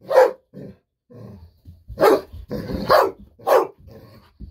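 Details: Pet Golden Retriever Bis barking with joy indoors, expecting a fish-sausage snack and refusing to wait quietly; irregular loud barks mixed with shorter, softer yips and low grumbling noises in between.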